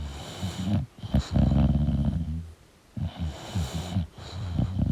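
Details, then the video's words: English bulldog asleep indoors, snoring in deep, rumbling low-pitched bursts with ragged rattling texture, broken by short quiet gaps between breaths. "English Bulldog Sleeping & Snoring Sound"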